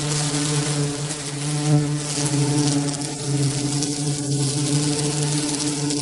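A bee's steady, low droning buzz hums on without a break.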